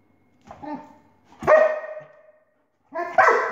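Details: Pet dog reacting to a laser with a soft, low woof, then a louder, tonal bark that trails off, and after a short silence the start of another harsh bark.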